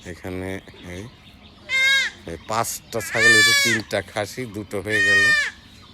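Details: Goat kid undergoing knife castration gives three loud, strained, wavering bleats spaced about a second and a half apart, after low human voices at the start.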